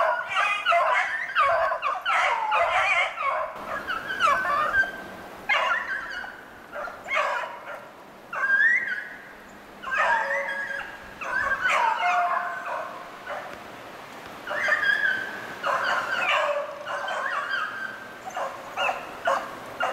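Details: Pack of beagles hunting snowshoe hare on 2/25/16, steady chorus of overlapping bays and yelps, some notes sliding upward, calling roughly every second or faster over a long stretch.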